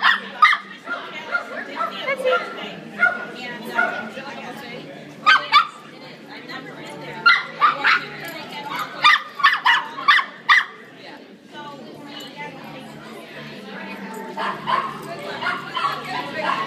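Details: Dog barking at a dog social hour while trying to get another dog's attention: bursts of sharp barks in quick runs, with pauses between runs, and people chatting throughout.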